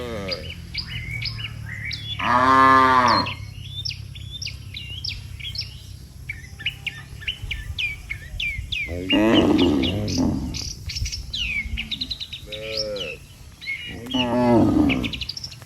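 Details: Tame cattle, dozens of them, walking calmly home to the barn together after a day on the pasture; several deep, drawn-out harmonic moos about every three to five seconds, over constant chirping and twittering of small birds.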